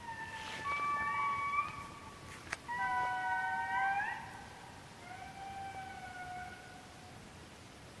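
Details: Two indris, about 10 metres away down the hill in Maromizaha Forest, Madagascar, on 13 July 2012, sing long, eerie wailing notes that swoop up and then hold steady.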